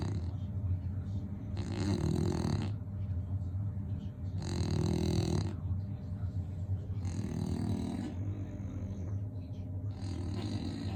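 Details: Two English bulldogs snoring: deep, rasping breath bursts about every two and a half to three seconds over a steady low rumble, each burst loud and broadband, with quieter gaps between.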